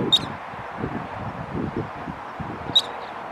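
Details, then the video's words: A squirrel chirping while flipping its tail: two sharp, high, clipped chirps about two and a half seconds apart over a steady background of low rumble and rustling. "A squirrel chirping and flipping its tail at the same time"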